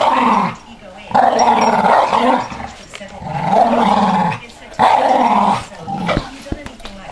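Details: A male Staffordshire bull terrier won't give up his ball, growling playfully at a person's finger; three long rolling growl bouts, each about one and a half seconds, separated by brief quiet breaths.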